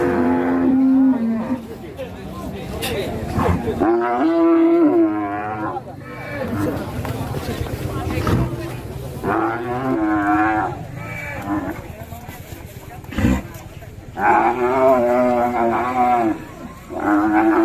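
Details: Enraged cow out of control after breaking loose, Indonesia; several drawn-out moaning bellows scattered among thumps, scuffling handling noise and brief human voices, with the loudest calls near the start and end.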